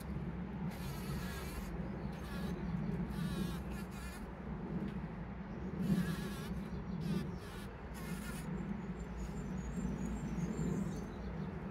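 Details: Pollen-gathering bees on 17 June 2023, captured by a trail camera: a continuous low wingbeat hum that rises and falls as individuals pass close, with brief louder surges midway and faint high background noise.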